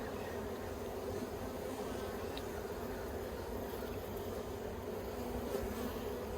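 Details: Honey bees at a yellow Langstroth-style hive in Australia, 9 October 2021, colony fitted with plastic frames the bees dislike; a steady, dense droning hum with a strong band low in the mid-range, unbroken for the whole stretch.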